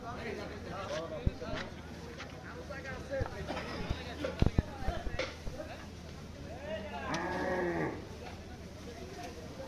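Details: Cattle at the Hazratpur cattle market in Dhaka, Bangladesh, sold as Qurbani animals for Eid ul Adha, recorded at night. One drawn-out, wavering moo of about a second comes near the end, over steady crowd chatter and sharp knocks.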